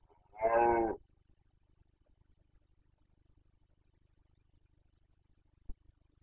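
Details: Carpathian stag, Bucovina, breeding season 2021: one short harmonic roar of under a second, rough and bellowing, then near silence broken by a single faint click.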